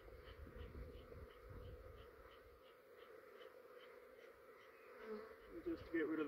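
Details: Honey bee swarm in a yard in Australia, described as fair sized and really quiet, while a beekeeper smokes the branch to clear queen pheromone; a soft steady mid-pitched hum runs throughout with faint ticks, brief rustles near the end.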